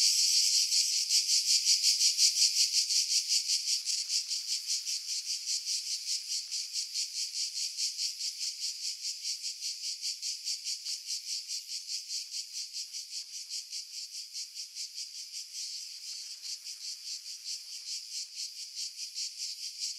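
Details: Cicadas singing in pine trees about 50 m above the sea at Pefkos Bay, Skiros Island, Greece, July 2018, on a Sony RX3 with external mic; a dense, hissing high buzz pulsing nearly three times a second, gradually softening, with wind filtered out.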